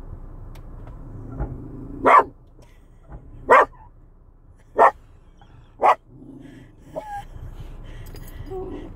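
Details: A chocolate Cocker Spaniel growls at wiper blades with short, gruff woofs, four sharp bursts about a second apart over a low background hum.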